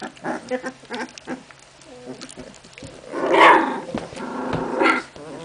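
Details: Memphis-true Olga and Scarko de la Betoule puppies at play, with short yips and whines early on, then a louder rough growling squeal mid-clip and another burst near the end; faint human voice possible.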